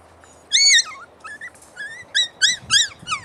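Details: A puppy gives high, clear squeals, each a short whistled whine that arches up then drops, about six in quick succession with brief gaps, in a quiet indoor room.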